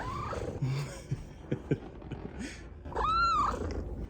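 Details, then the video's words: Blind pet cat indoors, asking to be carried on a shoulder, gives a short rising call, then a loud, clear, arched meow rich in overtones near the end, amid soft human talk and handling noises. "Talking Blind Cat Needs a Shoulder Taxi"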